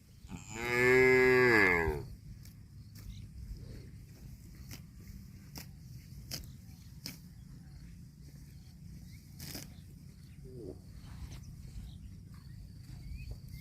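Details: A cow eating grass gives a single loud, rich moo lasting under two seconds, bending up then down in pitch, then the recording settles into low background hum with faint tearing and chewing clicks from grazing.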